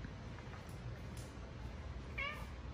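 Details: Indoor pet cat begging to be fed dinner, fed on a table out of the dog's reach; a brief bright meow late in the clip, preceded by soft clicks, and a person asking what food he wants.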